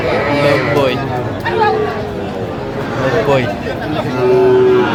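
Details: Sahiwal bull calf at a cattle market in Faridpur, Bangladesh, on 17 August 2025, giving low drawn-out moos, one steady held tone near the end, over market chatter and men's voices haggling over price.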